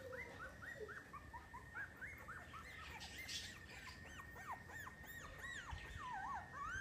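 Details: New Miniature Schnauzers in Oaxaca, Mexico, giving many overlapping high, squeaky whines, short arched rising-and-falling squeals crowding one another almost without pause, with a steady faint background hum throughout.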